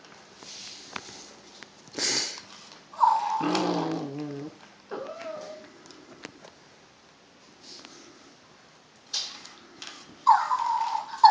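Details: Puppy at play indoors, giving a short run of low, wavering whimpers with harmonic overtones near the middle, framed by high squeaky notes, rustling and handling noises.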